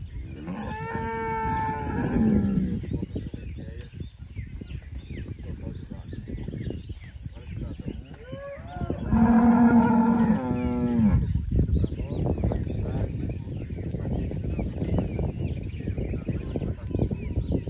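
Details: Registered half-blood Girolando cows: two drawn-out harmonic moos, one near the start and a stronger one around nine seconds, over steady low rumbling farm noise.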